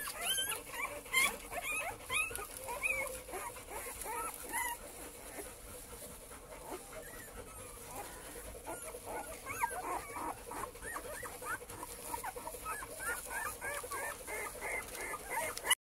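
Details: Cane Corso male puppies of litter J at a kennel, several together, giving many short high whimpers and yips, curved rising-falling squeaks overlapping continuously, with a steady high hiss in the background.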